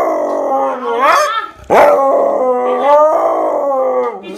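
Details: Siberian Husky that hates water complaining during its bath: drawn-out vocal howls with wavering pitch, one rising yelp-like swoop, a short break, then a long grumbling moan that slowly falls.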